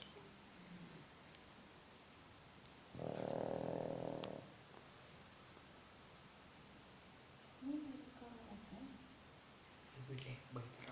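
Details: Pug snore compared to a Bullet motorbike engine: a loud pulsing rattle of about one and a half seconds, then quieter low murmurs and soft human voices in the background.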